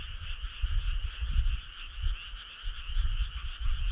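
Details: Frog chorus on a summer night: steady, dense trilling in two bands, mid and high, pulsing without a break, over deep, uneven low rumbles that swell and fade.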